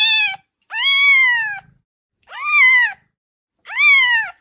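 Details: Domestic kitten calling to attract a cat: four loud, drawn-out meows in quick succession, each rising then sagging in pitch, bright and harmonic, spaced roughly a second apart with brief silences.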